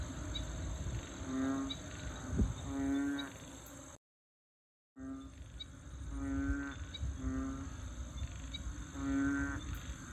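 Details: ['Frog chorus in a rural-like wetland at Bình Quới, Ho Chi Minh City. Deep, resonant, drawn-out harmonic croaks come in paired bursts, broken by a second of silence, with a thin insect hum above.']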